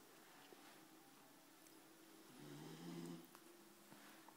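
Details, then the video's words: A sleeping Labrador gives one low, rasping snort of a snore that swells and fades within a second, set against a quiet indoor hum. "Labrador sleep"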